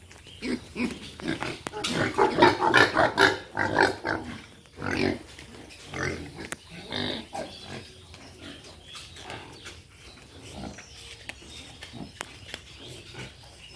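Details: Pigs on a pig farming unit, a dense run of short grunting and squealing calls, loudest in the first five seconds, then thinning to scattered grunts and clicks.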